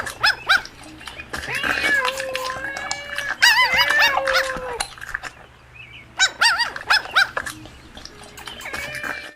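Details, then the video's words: Playful puppies competing for toys on green grass: bursts of high, wavering whines and sharp yelps, some overlapping, come in clusters with short quieter gaps, plus scattered clicks and broadband noise. "Puppies Competing for Toys on Green Grass - Funny Dog Sounds"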